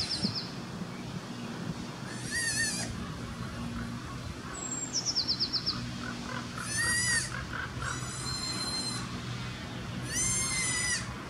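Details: Newborn Alpine ibex kid at Wildnispark Zürich Langenberg, canton of Zurich, Switzerland, on 17 May 2016, calling persistently for its mother as if lost: short, high, harmonic-rich bleats recur about four times, with one descending whistled note midway and a low steady hum beneath.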